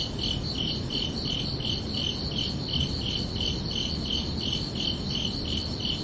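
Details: ['Summer-evening crickets at night, their shrill chirps repeating in an even, unbroken rhythm of about three per second above a soft low-frequency background wash.']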